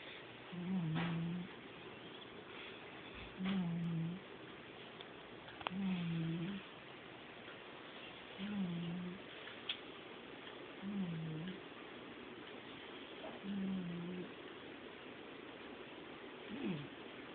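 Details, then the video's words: Domestic cat asleep and snoring indoors: low rasping breaths recurring roughly every two and a half seconds, each a short nasal rumble, with a quiet room hum beneath. "Snoring Cat"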